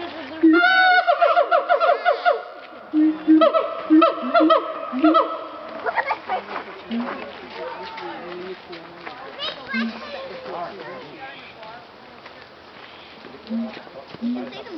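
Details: Siamangs at a zoo give loud, drawn-out ringing screams in a series of sustained bursts, apparently not wanting visitors around, with people talking and laughing nearby.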